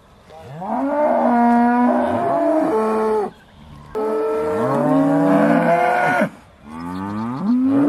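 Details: Beaulands Aussie Red dairy cows lowing before milking in December 2012: three loud, sustained moos of about two to three seconds each, bending upward at the start and falling at the close.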